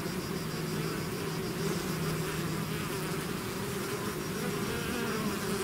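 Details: Swarm of bees out of its hive, a dense continuous buzzing hum with steady low bands and even loudness throughout, many wingbeats blending into one drone.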